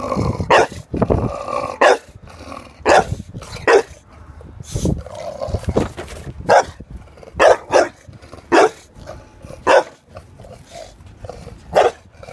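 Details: A domestic dog objects to a lawnmower with sharp barks, about a dozen in twelve seconds, spaced irregularly one to two seconds apart, some followed by growly low tones, with engine drone throughout.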